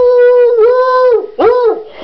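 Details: Coonhound howling indoors in a small room as if singing Happy Birthday to his brother on the brother's third birthday: a long sustained tonal howl with a brief dip, then a second shorter rising-falling howl.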